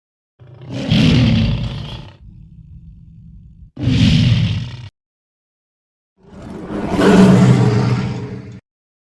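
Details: Roars from a lion: two hoarse, breathy bursts joined by a low steady rumble, then after a pause a third, longer and more tonal bellow with a deep growling base.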